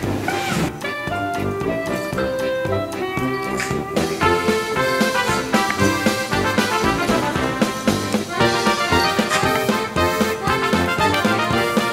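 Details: Lively brass-led polka music plays throughout, dense and rhythmic, with no animal sound audible.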